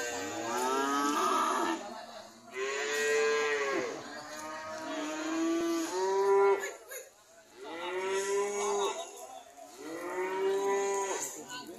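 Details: Cattle belonging to an old man, long drawn-out moos with a rich, harmonic tone, several calls one after another over a constant background hiss.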